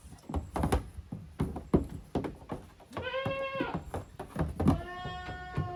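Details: Young goats, the offspring of Koharu and Okayu, play in two teams on a Japanese goat farm yard, 13 June 2023. Repeated knocks and thumps lead into two drawn-out, quavering bleats near the end.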